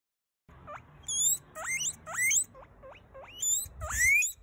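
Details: Guinea pig squeaking: a run of sharp rising whistled squeaks, each sweeping steeply upward and some ending in a shrill tail, coming in irregular bursts about every half second after a brief silence.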